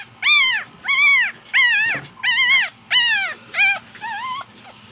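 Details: Chihuahuas feeling cold after getting wet, whimpering in a series of high, arched whines, each rising then falling, about one every second, with low household hum beneath.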